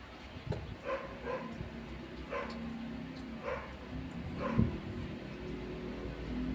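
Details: Shih Tzu mother dog rushed to a clinic after her puppy died. Short, high, whining yelps come about once a second, five in a row, over a steady low hum in the room.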